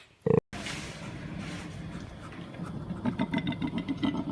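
A koala gives deep, pig-like snoring grunts that quicken into a rhythmic, pulsing bellow.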